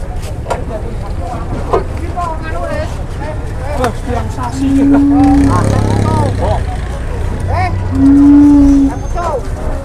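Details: Cattle boarding a truck at Sobo market in Indonesia give two short flat moos near 5 and 8 seconds amid busy chatter, shouting and a low vehicle drone.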